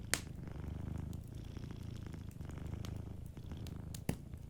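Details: Steady rhythmic purring of a domestic cat asleep by a warm fire, deep rumbling pulses in even cycles, with two sharp crackles from the fireplace at the start and near the end.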